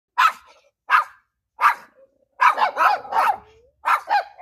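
A Pinscher barks angrily in sharp, high, yappy bursts, some single and some in quick runs.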